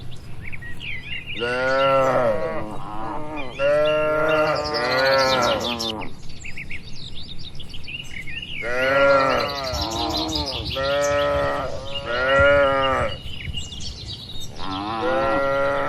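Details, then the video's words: Cattle at their feed in a peaceful barn low repeatedly in clusters of long, wavering moos with pauses between groups, while sparrow-like chirps ring out continuously in the background. "Moo Suara Sapi Lucu"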